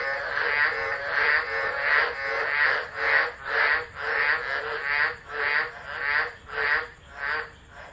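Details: Frogs of a tropical chorus at Driver in Australia's Northern Territory, calling during a December 2013 tropical low; a phone catches pulsed croaks repeating about every half second, settling into a steadier beat toward the end.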